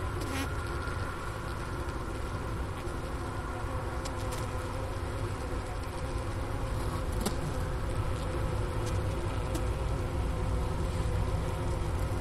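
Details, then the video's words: Honey bee hive buzzing in winter at Ohio State University's Wooster campus around 4 PM, January 16, 2024, with 15°F air outside. The recorder, a Sony ICD-PX370, sat by the inner-cover hole next to the remnants of a sugar brick. The buzzing is even and low, with occasional sharp ticks. "Bee Hive Sounds in Winter"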